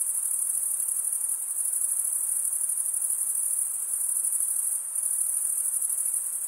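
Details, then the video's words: Continuous shrill trilling from crickets, the males chirping by scraping wing against toothed wing; the sound holds steady with a brief dip near the end, over faint low hiss. "Most relaxing cricket sound"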